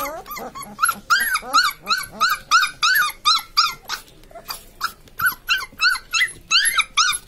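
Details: Newborn Labrador Retriever puppies crying continuously, a rapid run of short rising-falling squeals with a brief pause near the middle, loud and close.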